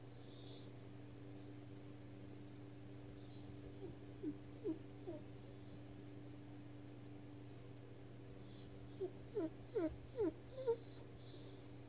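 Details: Weimaraner named Jackson, frustrated after being stuck under a bed for 30 minutes, whimpers indoors: a few short, high, wavering whines around four seconds, then a quicker cluster of five or six near ten seconds, over a steady low mechanical hum.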